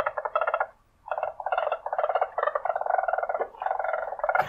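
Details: Weasel making a purring sound: dense, rapid pulsed buzzing in several long bursts with one brief pause near the start and a sharp click at the end.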